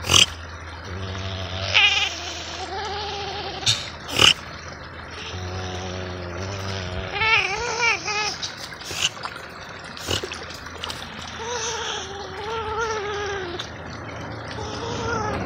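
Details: River otter vocalizing in a string of wavering, whimpering whines, some in short pulsed series, with occasional sharp clicks and a constant low background hum.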